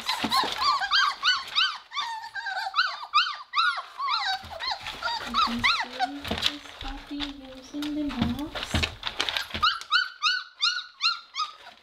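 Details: Weimaraner puppies in their indoor kennel, using a litter box with pellets for the first time during potty training: many rapid, high, arching whines and squeals overlapping throughout. A person speaks in the middle, and the puppies resume shrill whimpering at the end.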